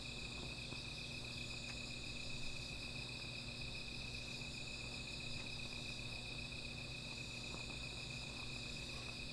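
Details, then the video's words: Sustained shrill trills from insects at night, a small fire nearby: layered high-pitched buzzing tones hold steady throughout, with occasional soft crackling clicks and a low steady hum beneath. "Sound of Insects"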